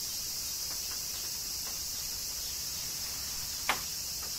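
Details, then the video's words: High, steady cicada buzzing through summer rain in Kyoto, Japan, sustained without pause, with faint drips and one sharp tap near the end. "Cicadas Summer Rain - Zen Sounds of Kyoto, Japan"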